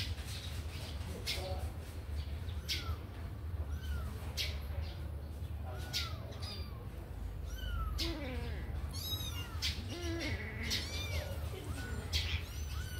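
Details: Kittens let out of a cage to run and play, giving several short high meows, some rising and falling, scattered through the clip over a steady low hum and clicks and knocks.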